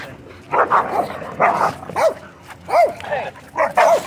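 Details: Dogs in a dogfight at a dog park entrance as owners move quickly to stop it; harsh, snarling barks and yelps burst out about once a second, each with arching, wavering tones, over a low background murmur.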